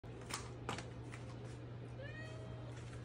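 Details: British Shorthair kitten indoors, begging to be let outside to explore the building, which it does daily by meowing nonstop. A single thin, drawn-out meow comes near the end, after a couple of soft knocks, over a steady low hum.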